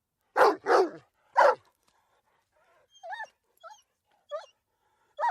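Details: A dog gives three sharp, heavy barks in quick succession, then a series of softer, higher, pitch-bending yips and whimpers, ending on another bark.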